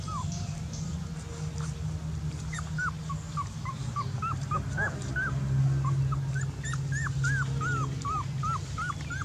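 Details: Dog whimpering almost nonstop: short, high, hooked whines that rise then drop, repeated about four times a second, with a steady low hum underneath.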